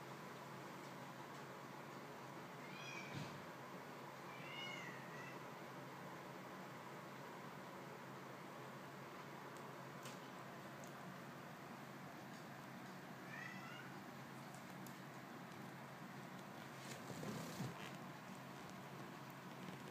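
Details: Newborn kittens being nursed by their mother cat. A few thin, high-pitched mews rise and fall, scattered at irregular gaps, faint against a steady background hiss with occasional soft rustles.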